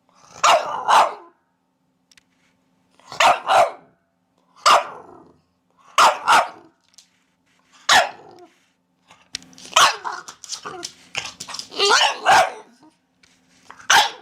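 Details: Barking dog, with paired barks spaced evenly at first, then a denser, overlapping run of rapid barks toward the end, over a faint low hum.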